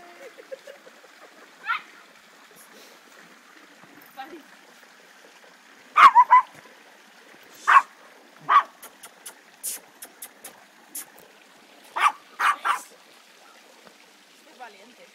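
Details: Old English Sheepdog puppies, 55 days old, from litter Q, playing nonstop; short sharp yappy barks in scattered bursts, some doubled, over a quiet background with faint voices.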